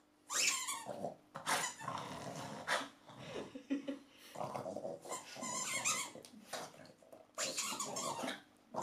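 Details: Tond the dog growls over a longed-for new toy indoors: rough, noisy growling bursts of one to two seconds, rising and falling with short pauses between, repeated through the recording in a small room.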